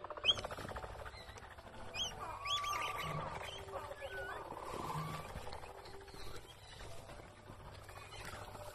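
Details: Baby capybara doing a little squeak: short, thin tonal squeaks held briefly at a steady pitch, with brief high chirps scattered above and a low steady hum underneath.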